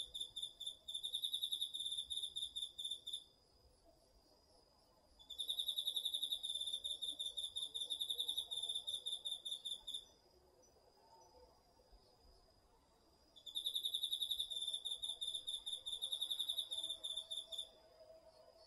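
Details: Crickets and other autumn insects calling at night from a Japanese home garden field, DR-40X recording; three sustained bouts of rapid, shrill pulsed trilling, each a few seconds long, separated by quiet gaps.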